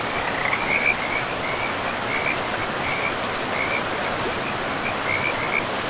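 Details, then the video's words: Frogs by a river in a pristine forest, giving short trilled notes several times across six seconds above the steady roar of running water. "River and Frogs sleep sounds"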